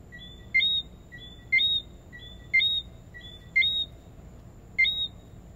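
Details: A Lesser Antillean whistling frog (Eleutherodactylus johnstonei) gives sharp, high two-note whistles, repeated about once a second.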